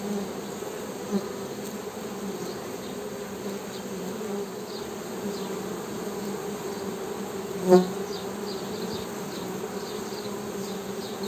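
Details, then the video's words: Continuous low humming of honey bees with a fainter higher overtone. A brief louder buzzing pulse occurs midway, and soft high chirps are sprinkled through the background. "HONEY BEE'S HUMMING SOUND"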